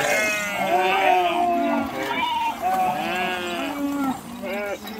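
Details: Sheep swimming across a river, some jumping into the water, bleating in overlapping wavering calls from several animals at once, a steady chorus with no pauses.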